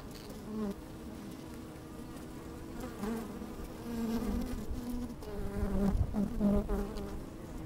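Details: Inside an opened beehive on a sunny, slightly windy day, honey bees hum steadily, with buzzy tones swelling in pulses toward the end, the last two seconds loudest and most animated, soft rustling throughout.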